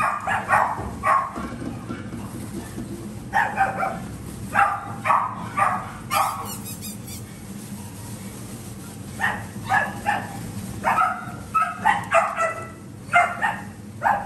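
A Yorkshire terrier barks in sharp, high yaps, often two or three in quick succession, with brief pauses between bouts. A low steady hum runs underneath, and a short rustling noise breaks in midway.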